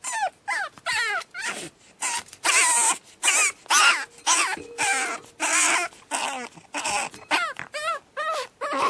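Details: Batman, a Pug puppy on his second night home, screams nonstop in a small room, a rapid chain of shrill rising-falling yelps and wails, nearly two per second, with barely any gaps.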